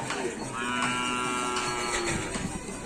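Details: Cattle at a karapan sapi bull race on Sapudi Island, Indonesia: a drawn-out, harmonic moo with a slightly falling tone over a busy crowd, with voices and background hum.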